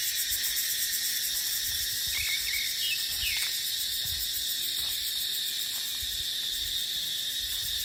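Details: Dry-season chorus of cicadas in dipterocarp forest, an unbroken shrill buzzing wall of sound, with short chirping notes near the middle and soft low wind gusts underneath.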